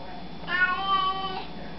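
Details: Cat saying hello in reply to a person: one loud, nasal meow just under a second long, steady in pitch with many bright overtones, over a low indoor hum.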